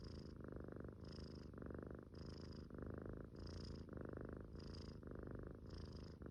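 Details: Soft, regular snoring from a sleeping Munchkin kitten: about eight deep, grainy purring breaths in quick succession, each followed by a short hissy pause, in calm indoor quiet.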